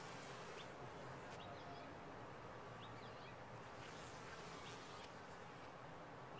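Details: A top-bar hive of honey bees gives off an even, droning buzz with a slightly heavier low rumble, and soft short bird chirps are heard faintly over it.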